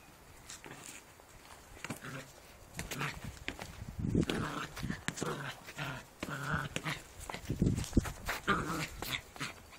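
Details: Border Collie puppy Skylar, nine weeks old, plays with a football; rough, low growling bursts come in clusters through the second half, with scuffling and a Dutch-speaking voice nearby.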